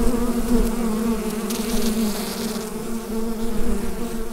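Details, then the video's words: Bees buzzing inside a hive, recorded with a Rode NT-USB microphone: a dense, steady low drone with layered humming tones that swell and ease slightly, with no other clear sounds. "Bee Hive Sound Effect"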